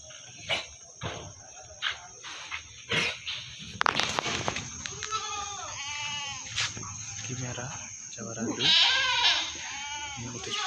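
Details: Meat goats in the busy Singosari animal market, Malang: after knocks and talking, two short quavering bleats follow in quick succession, then two more shaky bleats near the end, with voices throughout.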